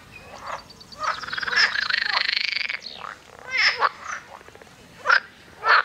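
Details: Toads in a lake at Fulda give raspy, rapidly pulsed croaks in bursts as rival males defend territory.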